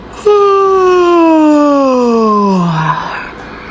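A camel lets out a drawn-out, moaning scream, strong and tonal, starting fairly high and sliding smoothly lower over about two and a half seconds. It ends in a rougher, breathy tail, with a quiet room around it.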